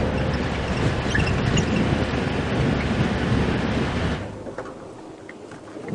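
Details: Broadband rumbling like wind or a vehicle engine fills the first four seconds, then fades to a quieter hiss. No animal calls stand out.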